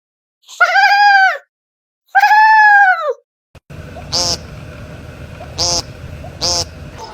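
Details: Pet cat giving two long, arched, drawn-out meows about a second apart, followed by a noisier stretch with three short sharp bursts repeating over steady background sound.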